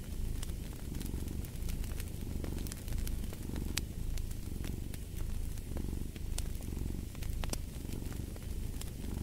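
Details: Soft rhythmic purring of a cat, a deep buzzing rumble rising and falling in regular breath-length waves, set against frequent crackles and pops from a fireplace.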